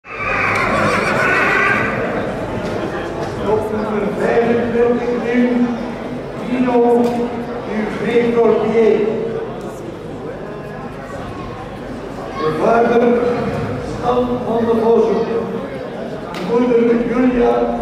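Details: A Belgian Draught horse gives a high, harmonic whinny at the start, followed by lower calls amid steady background chatter of people talking.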